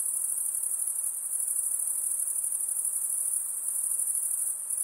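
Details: Steady, piercingly high insect trill, unbroken and even in loudness, with a slight rapid pulsing throughout and a faint soft hiss lower down.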